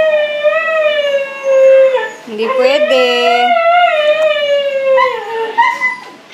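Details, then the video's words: Long, steady howls from a Siberian Husky inside a room, rich tonal wails that dip, rise again and taper downward, with brief overlapping voices in the middle. "Siberian Husky Howling"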